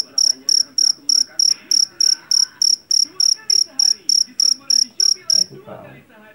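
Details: Field cricket from a rice paddy, called jangkrik Jawa and noted for a ringing voice. Shrill chirps pulse about three per second, then stop abruptly near the end, leaving only faint low background sound.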